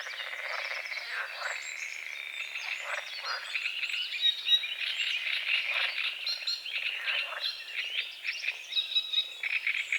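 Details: Morning frogs on a foggy lake at the forest's edge croak in a thick, continuous chorus of harsh pulsed calls, roughly four per second, under a backdrop of chirping birds.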